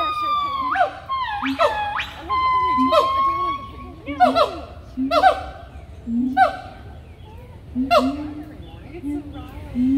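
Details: Several loud monkeys at Animal Kingdom call together. Long wailing slides mix with short rising yelps and low hoots in overlapping, uneven bursts that fade and return across ten seconds.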